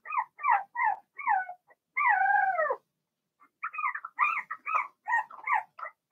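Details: Blenheim Cavalier King Charles Spaniel puppies, Remy's litter of six, penned at home: clusters of short wavering whimpers, then a single drawn-out falling whine lasting nearly a second, a brief pause, and more rapid whimpering.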